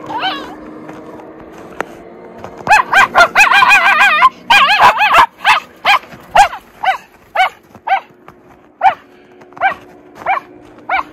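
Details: Two Miniature Schnauzer brothers romp through tunnel trails dug in deep snow in Aroostook County, Maine, on a 24-degree January day; a dense burst of yappy barks gives way to single barks spaced about every half second.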